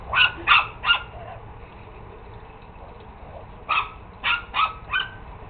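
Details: Chihuahua giving high, sharp yapping barks: three quick yips, a pause of about two seconds, then four more in a rapid burst, over a steady low background hum.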